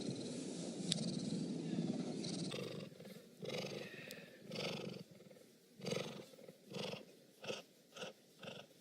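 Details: Cheetah purring, a noisy broadband stretch at first, then a series of pulsed, rhythmic rasping bursts rising and falling in loudness, several per second.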